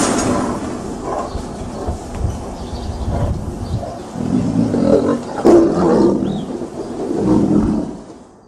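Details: Tiger growling with wind blowing; deep, rough rumbling growls rising and falling in several swells over steady wind noise.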